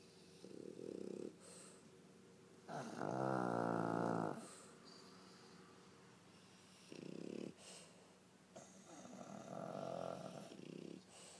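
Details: Pug Pangpang and French Bulldog Pipi sleeping and snoring in turn; a loud, buzzing, vibrating snore of about one and a half seconds stands out among shorter, hoarse snorts and quieter breaths.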